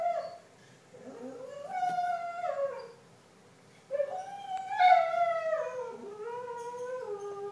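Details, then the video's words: Singing retriever, a pet dog howling of its own accord: long mournful tones that climb then fall in stepped glides, two main phrases separated by a short silence, ending in a lower, drawn-out note. "Singing dog"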